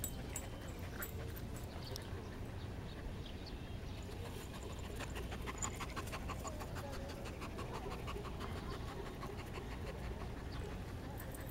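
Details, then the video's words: Resting Border Collie panting softly in quick, even breaths, a steady rhythm of faint airy puffs over a low background hum. "ボーダーコリー バウボニ休憩中"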